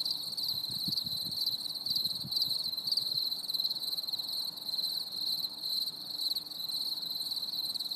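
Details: High cricket trilling on a stormy summer evening, continuous pulsed chirring from many insects, with a few soft low thumps early on.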